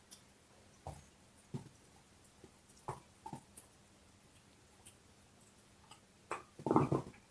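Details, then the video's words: Dog with a bone: sparse single clicks and light bites spaced a second or so apart, ending in a short flurry of heavy crunching, in a quiet indoor space. "Hund kaut Knochen - Dog is chewing bone"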